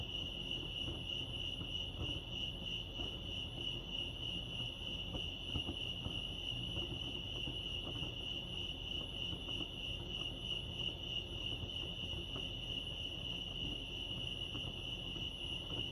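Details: Chorus of crickets at Lake Arrowhead, California: a constant shrill pulsing chirp, rapid and evenly sustained, with faint scattered ticks and a low background hum.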